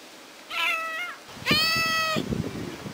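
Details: Ginger kitten crying and calling for its mother while left alone at home: two clear, bright meows, a short one followed by a longer, steady drawn-out cry, with faint indoor background.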